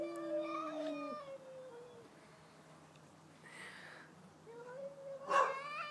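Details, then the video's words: Pet cat and neighbouring cat facing off, trading yowls: a steady low howl ending abruptly after one second, a quiet pause, then a rising wail climaxing in a sharp louder cry near the end. "2 cats singing/talking!"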